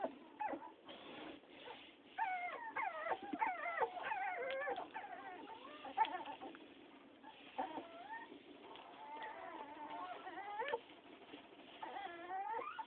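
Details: Toy poodle whining continuously, a long string of thin wavering whimpers and squeals that rise and fall, with short breaks and a faint background hiss.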